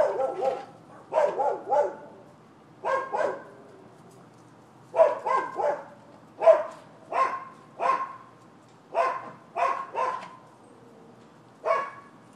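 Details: Neighbouring dogs barking persistently on 7 December 2015: bursts of two or three loud, rough barks, roughly eighteen in twelve seconds, in uneven clusters separated by brief pauses, with no other clear sounds.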